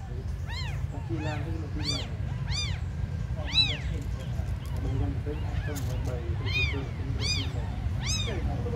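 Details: Abandoned kittens, among the smallest, give thin arched mews roughly every half second to second, some softer voices chiming in between, against low droning noise.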